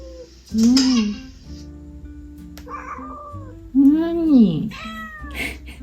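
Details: Male domestic cat, once a stray found after jumping out of a couple's car; two drawn-out meows, each rising then falling, a few seconds apart over soft background music.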